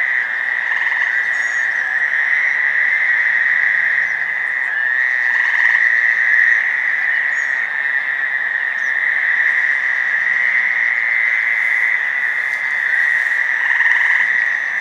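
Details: About ten Fowler's toads (Anaxyrus fowleri) call at 9 PM on June 5, 2015, in Providence RI's North Burial Ground cemetery, their nasal, buzzing trills blending into one steady drone. One gray tree frog adds a small trill.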